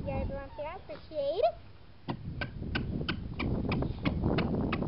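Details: Whining from seven-week-old Boxer puppies: a quick run of wavering, upward-bending whimpers in the first second and a half. Sharp regular clicks and tapping follow, with a person talking in the background.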